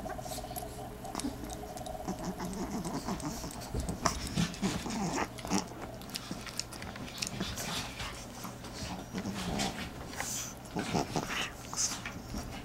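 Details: Pekingese dogs from a household of six (Brutus, Katie, Molly, Secret, Dave and Adele) in a small indoor room, giving steady snuffling grunts and low rumbling growls with occasional whimpers, several animals overlapping throughout.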